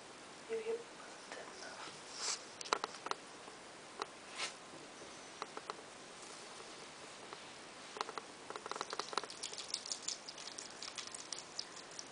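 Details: Female pet hedgehog, newly acquired, snarfing down a cricket in a single bite: faint crackly crunching and scattered sharp ticks, with a busier burst of chewing clicks toward the end, in a quiet small room.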